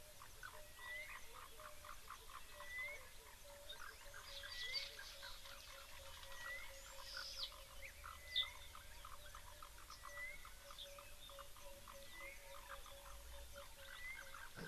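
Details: Faint grey foam-nest tree frogs (Chiromantis xerampelina) at an African waterhole on 31 October give short, harsh, chattering croaks, like a muted vervet monkey alarm call, a sound associated with summer.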